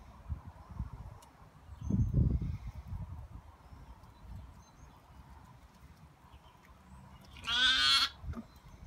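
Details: Young lambs playing during an afternoon romp. Heavy thumping and scuffling come first, then a single loud, high, wavering bleat near the end.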